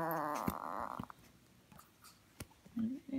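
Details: Male teacup Chihuahua weighing 1.5 kg, indoors, resisting being dressed in clothes: a short buzzy harmonic growl lasting about a second, then quiet clicks and a person talking to the dog.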